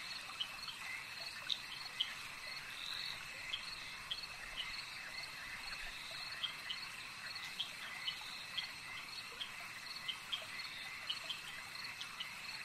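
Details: Lakeside frog chorus: rapid, bright chirps pop out every second or so above a continuous shrill, ringing hum of many callers, with a faint wash of background noise and no human sounds.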